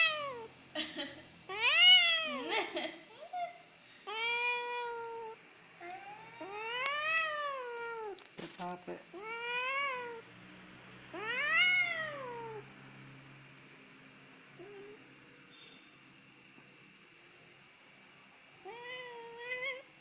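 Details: Pet cat easily set crying, giving a rapid run of short and longer meows with clicks and brief voices early on, then the cries thin out toward the end; constant high whine throughout.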